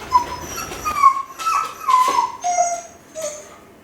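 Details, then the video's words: Lonely Kai Ken, Ichi, alone at home, howling toward its family; a run of short whining, wavering tones with harmonics, several brief notes stepping down in pitch over about four seconds inside a room. "甲斐犬の遠吠え！🙀】留守番犬の鳴き声 ！狼みたいだけど寂しい声に切なさも感じる"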